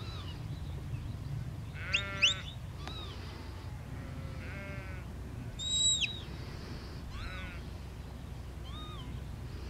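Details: Sheep in a field being herded by a working border collie, giving several wavering, harmonic bleats around two, six and seven seconds, some high and nasal, over a low steady background rumble.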